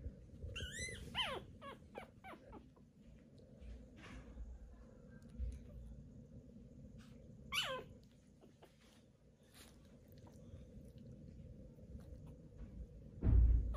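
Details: Newborn Pomeranian puppies on their day of birth, indoors: two thin, high squeals that slide downward, near the start and again around seven seconds, over a low steady hum and soft rustling, with a thump at the end.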